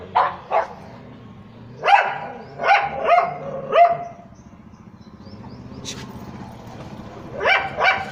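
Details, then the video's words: A pug on the street barks at street dogs, giving short, sharp barks in loose bursts, with a pause before a final pair. "Pug Dog Barking on Street Dog's 🐶🐶"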